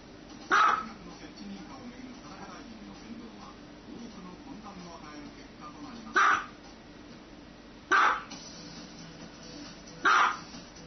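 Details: Dog barking: four single loud, sharp barks spaced irregularly, one early then three close together near the end, over a steady low background hum.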